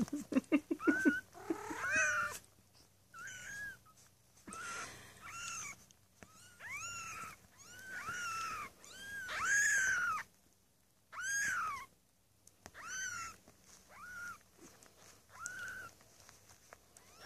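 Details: Maine Coon kittens from a cattery litter of six born 8 May 2015, calling in a long series of high, arched meows, some drawn out and loud, spaced by short pauses, voices overlapping at the start.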